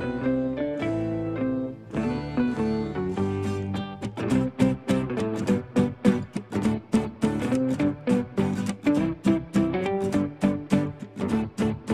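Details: Gentle acoustic guitar music, first sustained notes and then steady plucked strumming.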